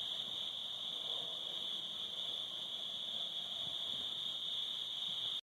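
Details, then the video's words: Summer crickets at sunset near a cabin fire, giving a continuous shrill trill at a single high pitch without pause, over a soft low rumble of background noise. "Summer Crickets"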